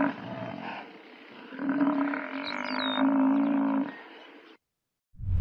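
A buffalo bellows in a low, hoarse, droning voice, the sound rising and holding for a couple of seconds in two long pushes. A brief quiet gap follows before a low rumble starts again.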